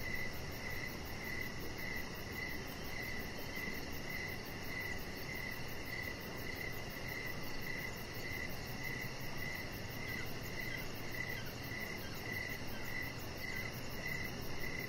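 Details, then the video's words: Crickets sing in the evening outside, near a lit deck with a chihuahua lying on it. A rapid, regular chirping continues without pause, layered with fainter insect trills and a continuous hiss. "Cricket Sounds"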